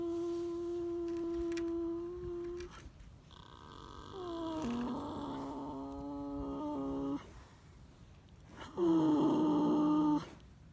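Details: Sleeping horse snoring in three long, droning, harmonic breaths of two to three seconds each, separated by short quiet gaps, in a small indoor space.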